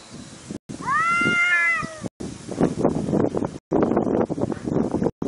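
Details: A domestic cat gives one drawn-out, rising-then-falling meow lasting about a second, surrounded by rustling, bumping and muffled noise from a home setting.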